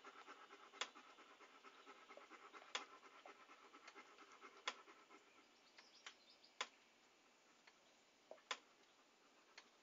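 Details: A dog pants in soft breathy bursts, with sharp clicking ticks spaced every second or two over a quiet hiss.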